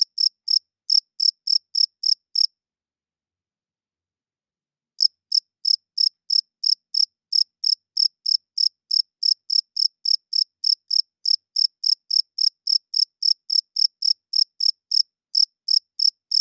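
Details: Cricket at night giving sharp, high chirps in a fast even series, then falling silent for about two and a half seconds before resuming the same rapid rhythm; nothing else audible.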